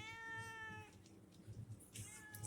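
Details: At a small neighbourhood stall, a cute cat gives a long, steady meow of nearly a second, then after a pause with faint tapping sounds starts another higher meow that rises at the end.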